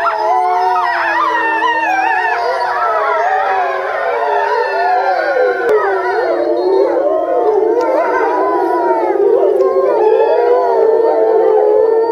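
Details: Pack of grey wolves at Tama Zoo in Japan, November 2013, howling together; many voices weave dense, quavering howls that bend up and down continuously, with a few sharp yips and clicks mixed in.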